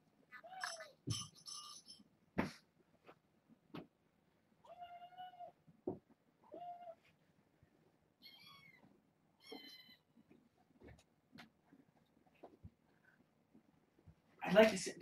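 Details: Kittens born August 29th to a family pet, six in the litter, indoors during a visit: repeated short mews, some thin and high, others lower and flat, spaced a second or two apart, ending with a loud rustle.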